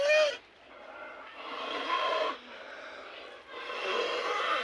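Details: Cattle with snoring disease, breathing noisily: harsh, rasping, broadband breaths in long swelling bursts, about one every two seconds, with a brief higher squeak at the start.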